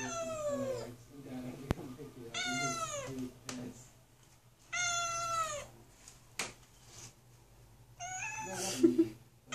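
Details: Kitten shut inside a closed bathroom, wanting out, gives loud drawn-out meows with rich harmonics, each falling in pitch, repeated about every two seconds, with sharp knocks and faint background noise between calls.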